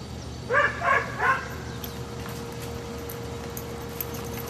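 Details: Two rescued Dobermanns at play give three quick, sharp, high barks in a row over about a second, followed by a quiet room with a steady low electrical hum.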